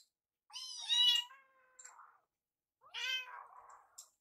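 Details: Rescued baby kittens Yuki and Piyo chase their carer in the kitchen begging for food; two long, loud, harmonic-rich meows about two seconds apart, each trailing into a softer wavering tail.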